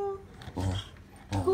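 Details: A corgi prompted by its owner to sing gives short, tuneful howling notes, a steady held tone followed by rougher vocal bursts.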